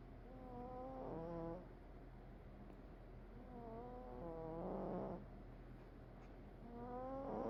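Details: Sleeping cat snoring: soft wheezy tones with a nasal, rising whistle repeat in short bursts about every three seconds, over a steady low rumble of background noise.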